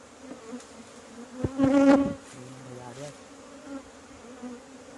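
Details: Asian honey bees hum at an aging hive as honey is taken for the first time in 2020, in Thailand. A soft, even drone runs throughout, broken briefly by a short voiced sound near two seconds.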